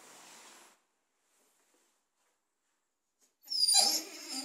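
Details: Four-month-old Cane Corso puppy at food time: after a faint hiss and a long stretch of near silence, a sudden high, thin squealing whine bursts out for about a second, then trails off more quietly.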